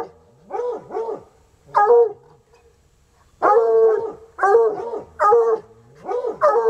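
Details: Untrained coonhounds bay at a raccoon: long, loud, bawling barks with a falling tail, given singly and in close pairs, with a silent gap midway and a steady low hum underneath.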